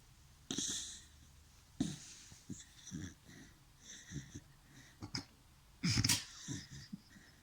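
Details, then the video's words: A dachshund snores in a run of breathy, wheezing inhales and exhales, about one every second or so, some with a whistling nasal edge, the loudest burst near the end, in a small room. "Такса храпит!"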